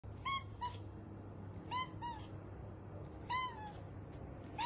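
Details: Kitten from a compilation of funny baby cats, giving short, thin, high meows that fall slightly in pitch, paired in three bursts about one and a half seconds apart, over a steady low electrical hum.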